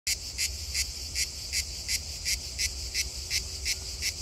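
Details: A grey cicada (Cicada orni) at Donzère, Drôme, France, sings a dry, high buzzing pulse repeated roughly three times a second.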